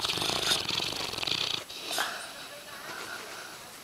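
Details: Yellow Labrador Retriever named Brady snoring loudly while asleep; breathy, rasping snores with a hissy upper band, one long rattling pull followed by a shorter one, then quiet breathing.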